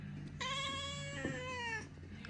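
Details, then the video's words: Oriental cat talking with its owner indoors: a single drawn-out meow lasting over a second, holding steady and then sliding gently downward, with a low steady hum and faint music behind. "Ориентальная кошка Марси разговаривает"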